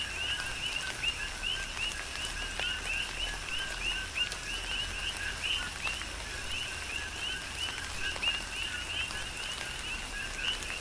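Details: Continuous coqui frog chorus in tropical rain, Big Island, Hawaii: numerous frogs repeating two-part calls, a brief lower tone followed by a rising piping whistle, layered over steady rainfall and scattered drops hitting surfaces.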